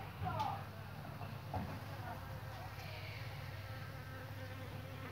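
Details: Thousands of honey bees give a steady, low droning hum with layered tones that holds evenly throughout, with a brief human voice near the start.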